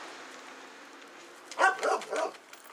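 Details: Doberman Pinscher during play and exercise, giving three quick, sharp barks in rapid succession over steady background hiss, ending in near quiet.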